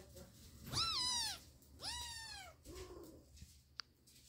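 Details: Kittens fighting indoors: two drawn-out, richly harmonic yowls, each rising then sliding down at the end, followed by a softer, lower growling call and a faint click.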